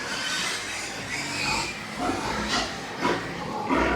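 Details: At a Nepalese pig farm, white pigs let out brief noisy squeals and snorts, about four bursts in quick succession over a constant rushing farm background.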